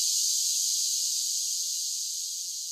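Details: Summer cicada drone, a bright, sizzling high-pitched whine that stays unbroken and eases a touch quieter as it goes.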